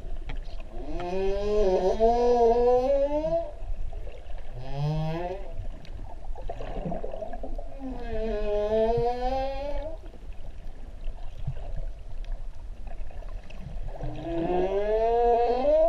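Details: Humpback whales in the sea at Ha'apai, Tonga, recorded where swimmers meet newborn calves: long rising and falling harmonic whines, several in a row with short pauses, over steady low water rumble.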